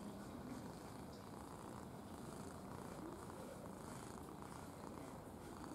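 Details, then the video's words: Affectionate red cat keeps up a continuous soft purr, a grainy low throb of rapid even pulses without pause, heard up close against a faint hiss. "Рыжий котик мурчун / Red cat purring"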